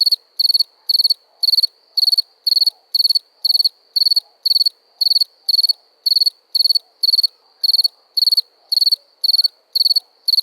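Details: A cricket gives a regular run of shrill pulsed chirps, roughly two each second, about twenty in all, clean and uninterrupted against a quiet background.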